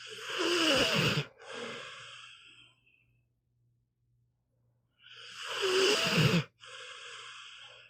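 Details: Meatball, a sleeping pit bull, snores in two rasping breaths about five seconds apart, each a loud broad inhale followed by a softer wheezy exhale, with quiet gaps between.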